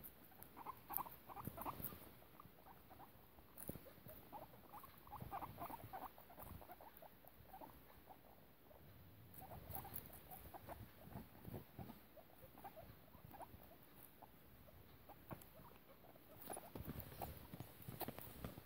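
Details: Piggie Minaj, a foster guinea pig mother, with her young; quiet, rapid, low squeaks and murmuring chirps keep going in loose clusters over soft rustling and pattering movement.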